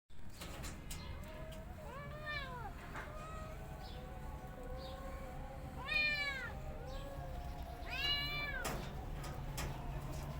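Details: Kitten meows from a family of cats with their mother: three clear high arched mews, near two, six and eight seconds, over a low steady hum and faint clicks.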